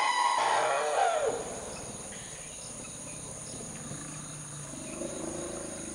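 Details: Lost-seeming infant male elephant calf gives a loud, high-pitched scream that slides downward over about a second, followed by low rumbling and a steady background drone.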